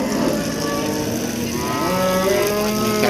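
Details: Cattle at an Indonesian livestock market. A long, tonal moo rises through the middle of the recording, set against a dense and noisy background of market clatter and mechanical rattling.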